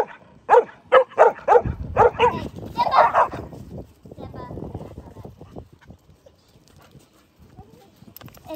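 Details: Mastiffs and a Rottweiler playing in snow; a burst of deep, loud barks repeated about every half second for two seconds, then a man talking over lower grumbling and fading noise.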